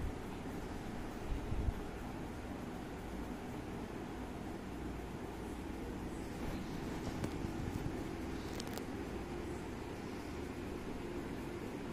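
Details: Steady broadband hiss like a fan or air conditioner fills a small room, broken only by a few faint brief clicks.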